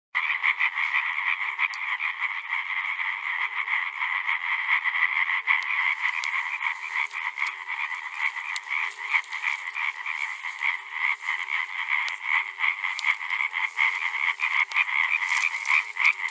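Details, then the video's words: Several male European tree frogs calling together in a dense chorus: rapid, harsh, nasal knocking notes repeated about three times a second, overlapping into a continuous rattling din, with a faint lower whistle-like tone and people talking quietly at the end. "Caling males of Hyla arborea"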